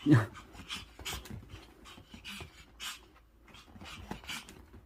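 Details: A pet dog pants hard after its owner returns from a business trip. Quick breathy bursts repeat about twice a second, with a short human voice at the start and a soft indoor hum.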